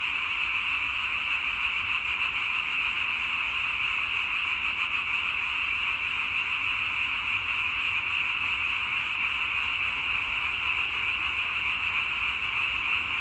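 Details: Frogs calling together in a dense, unbroken chorus, a steady high shimmering croak that holds at the same level throughout with no single voice standing out and no other clear sounds.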